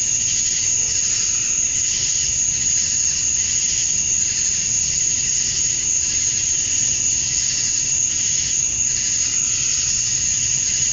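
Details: Summer-dusk cicadas in Georgia, USA, males calling to draw females: a steady, shrill insect wall of sound with rhythmic pulsing surges over eleven seconds, unbroken and even in loudness.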